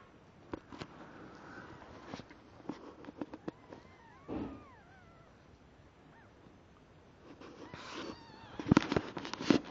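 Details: Newborn kittens, six in the litter of a mother cat named Breeze, born in the early hours around 03:30; thin high mews with arching, wavering harmonics around four seconds, further faint cries near the end, among rustling and handling noises.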